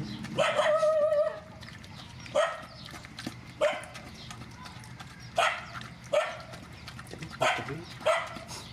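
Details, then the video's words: Rescued mother dogs and puppies at feeding time give repeated high whines and yelps, a long wavering whine first, then short rising cries every second or so, over steady background hum. "Feeding mother dogs and puppies"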